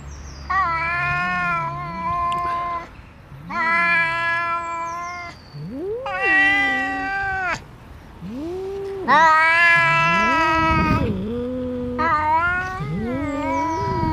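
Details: Two cats, a friendly black cat and a less friendly companion, trading loud drawn-out meows and wails: five long harmonic calls, some rising then falling in pitch, with short gaps between them.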